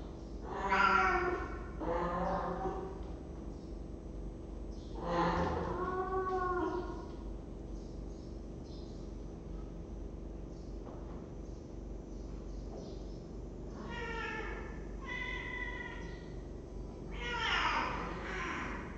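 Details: Cats in a cat room, picked up by a webcam on 23 December 2015; several drawn-out harmonic meows near the start, middle and end, with quiet room hum between them.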